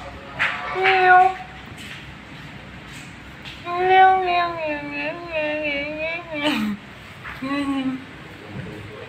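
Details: Pranky, an Angora cat, meows once briefly, then gives a long wavering cry that dips and rises for nearly three seconds, followed by a shorter meow, with a person's voice calling the cat nearby.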